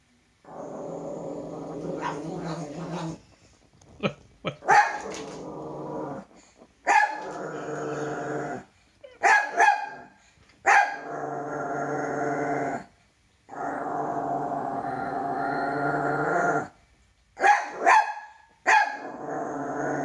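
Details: Toy poodle frightened of its own shadow: sustained harsh growls broken by a few short, sharp barks, with brief pauses between bursts.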